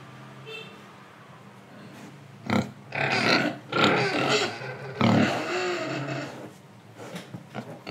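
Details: Pig in Indonesia, breathing and eating: quiet low breathing, then loud harsh snorting grunts in bursts between two and a half and six seconds, fading to soft snuffles and small grunts.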